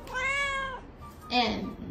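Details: Pet cat in a funny talking-cats compilation gives a drawn-out, tonal, rich-harmonic meow lasting under a second, steady then dropping at the end, followed by a short brighter, breathier second sound.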